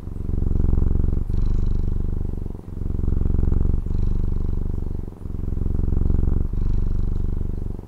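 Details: A Taiwanese house cat purrs contentedly, its deep vibrating drone rising and falling in a steady breathing rhythm, with a short gap roughly every 1.3 seconds and no other sounds.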